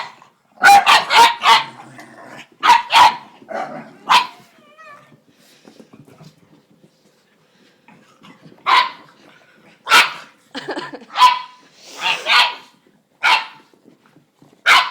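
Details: Pug with unusual vocal noises: bursts of raspy barks and short yips, a quiet stretch with faint snuffling in the middle, then single sharp barks spaced about a second apart.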